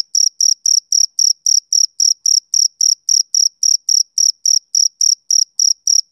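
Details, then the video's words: High, ringing chirps of a male cricket on a summer evening, short bursts repeating rapidly and regularly at about four per second, isolated against silence. "Cricket Chirping Sound Effect"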